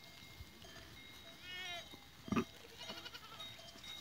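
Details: Goats recorded on 14 April 2023, giving a short, quavering bleat early on, followed by a sharp knock and faint bell tones in the background.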